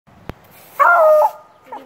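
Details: Beagle puppy barking at a broom, seemingly a little afraid of it, indoors: one drawn-out, high, whining bark lasting about half a second, followed by a faint short yip; a sharp click before the bark.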